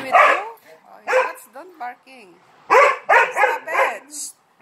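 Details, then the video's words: Attention-seeking dog barking in play with three Malinois; a few bursts of sharp barks broken up by a person's drawn-out, sliding speech. "He bark too much for attention!"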